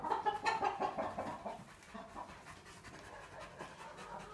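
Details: Tornjak, a Bosnian-Croatian livestock guardian dog, chilling in the shade, panting in quick breathy bursts of about three per second, loudest over the first second and a half, then softer and more irregular.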